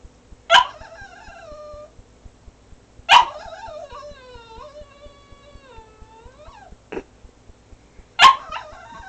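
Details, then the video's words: Cavalier King Charles Spaniel crying in his crate, sad because his owners were about to leave; each sharp yelp trails into a long wavering whine, repeated about every three seconds in a quiet room. "My Cavalier Jack, crying weird"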